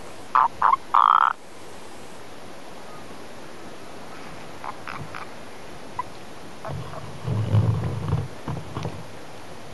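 Three brief, harsh rattling croaks from a natterjack toad open the recording, loud and close together. The rest is mostly quiet background, with a low rumbling noise near the end.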